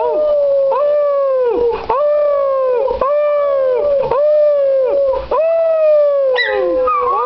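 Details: Schnauzer dog singing: a loud, sustained, wavering howl held steady through most of the clip and broken by brief dips roughly every second. It ends with a rising, sliding note and no other sounds.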